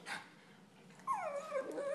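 A pug gives a drawn-out, nasal whine that slides downward, then wavers at a lower pitch.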